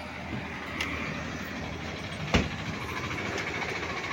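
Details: Steady roar of passing vehicles or a train, with a single sharp knock midway and no animal calls.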